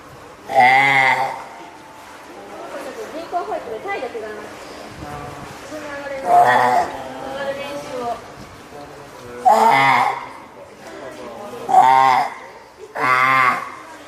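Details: Hand-reared female spotted seal pup born April 19 at Oga Aquarium, Japan, 9 May 2017, calling loudly for its keeper, hungry or wanting onto land: five harsh, bleating wails about two seconds apart, with a murmur of voices between.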